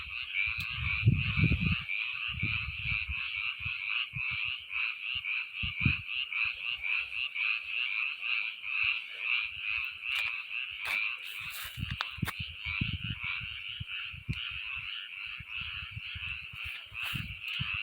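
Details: Frogs croaking in a dense, unbroken chorus of buzzy, rattling notes, with low thumps and rumbling handling noise breaking in now and then.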